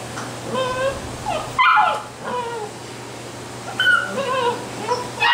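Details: Basset Hound puppies in Brazil whimpering: many short, thin, wavering cries and squeaks, some rising and falling, overlapping from several pups with brief louder yelps, over a low steady hum.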